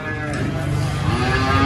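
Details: Cattle being taken to the animal market at Prambanan, giving a low, steady droning moo that holds for the whole moment, its deep tones thick beneath faint higher overtones.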